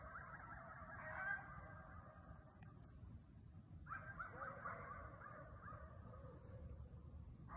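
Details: Several coyotes (Canis latrans) bark and howl together in Knoxville, a jumbled, wavering chorus over a low background rumble.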